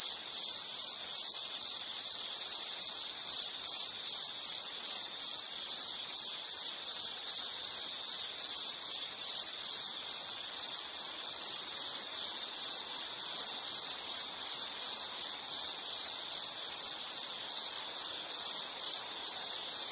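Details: An insect calling without pause, offered as calming background sound: a shrill, high, pulsing trill that repeats a little over twice a second, unbroken across the whole stretch, with a faint upper shimmer.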